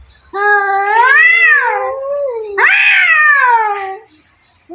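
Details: Two domestic cats fighting, one giving two long drawn yowls with rich harmonics, each rising then sliding down over about two seconds, the second starting sharper and tapering into a falling moan.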